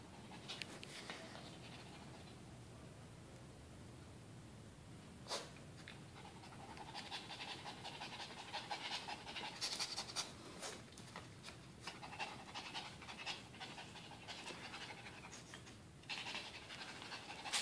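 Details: AJ the pet dog pants after a tug-of-war game, getting amorous with his towel. Rapid, breathy huffs come in irregular bursts, with a few sharp clicks and quieter stretches between runs of fast breaths.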